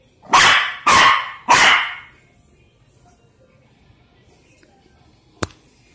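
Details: Shih Tzu-Pekingese mix dog giving three loud, broad barks about half a second apart, then quiet with a single sharp click near the end.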